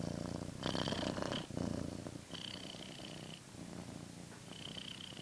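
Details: Purring house cat, a close, low vibrating rumble that swells in breathy pulses and then settles into a softer steady hum.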